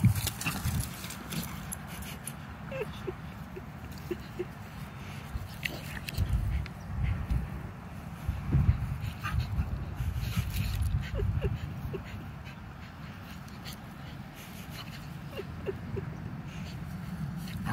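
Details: Low, rumbling growls from a pitbull and a mini Australian shepherd play fighting indoors, a steady deep grumble with scattered scuffling clicks and thumps throughout.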